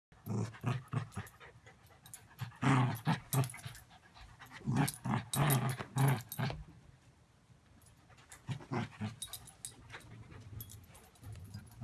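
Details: Bichon Poodle mix dog, energetic, growling in play while chewing on a rope indoors; low rumbling growls come in irregular bursts, with louder clusters around three and five to six seconds, plus chewing and rustling noises.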